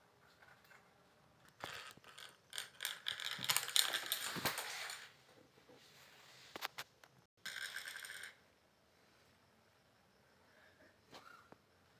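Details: Metallic clinks and scrapes of bangles being knocked about indoors, with bursts of rustling and no clear animal voice.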